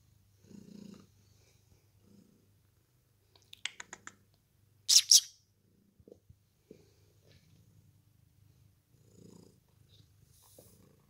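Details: Ragdoll cats Kyra and Lizzy on a lazy day indoors: a low, steady rumbling purr runs throughout, interrupted by a few soft short rustles and one brief sharp hissing burst near the middle.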